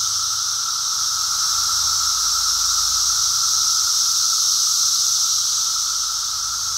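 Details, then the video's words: Chorus of Brood X periodical cicadas during their emergence, recorded walking on 2 June 2021; a continuous shrill, hissing wall of sound with a steady lower tone underneath and little change in loudness. "Brood X cicada walk"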